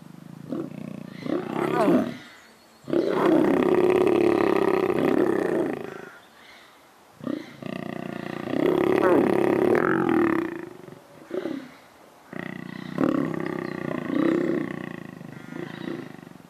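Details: Captive lions mating at a zoo, giving three long rasping roaring bouts of about three seconds each, separated by short quiet gaps, with people talking nearby.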